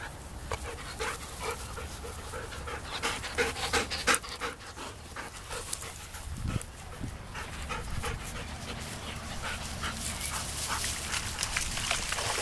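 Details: Black Labrador Retriever puppies down at a pond, breathing in quick, rough, breathy pants that repeat about three times a second and grow louder toward the end, with rustling and a brief voice in the background.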